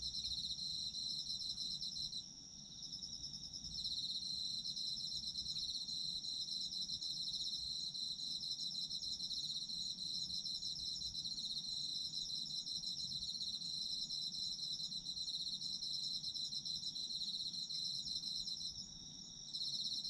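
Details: Autumn insects of Japan trill without pause in a shrill, shimmering high chorus, with short lulls around two seconds and again near nineteen seconds. Nothing else stands out apart from a quiet low hum.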